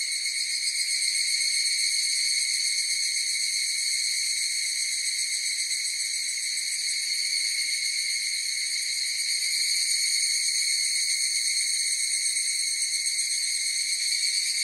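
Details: Higurashi cicada chorus: a sustained metallic ringing in high registers, gently pulsing and swelling a little near the end, without birds, wind or human sounds.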